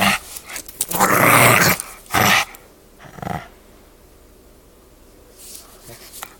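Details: Pug puppy in a tug of war over a toy, growling hard; a loud harsh growl around one second long, a shorter burst after, then quieter grunts and faint rustling.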